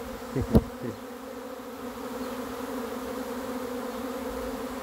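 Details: Swarm of honey bees arriving during a catch, heard as a sustained two-toned humming drone. A sharp bump and scrape come in the first second.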